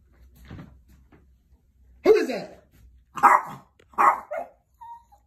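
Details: Chihuahua woken from sleep to alert someone at the door, giving three sharp, loud barks about a second apart after quieter low sounds, indoors in a small room.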